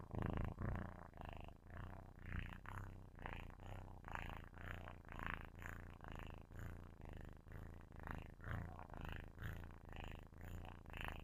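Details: A kitten asleep and purring loudly into a microphone; continuous deep vibrating rumble with rapid, somewhat irregular breath pulses, about two per second, louder at the start.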